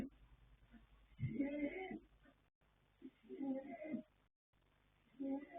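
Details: Colt foal Yanta, born 21 January 2026, sire Fast Force, dam Pink Blossom, snoring as he sleeps; coarse, rattling inhalations come in a slow, uneven series, with one longer, louder rasp.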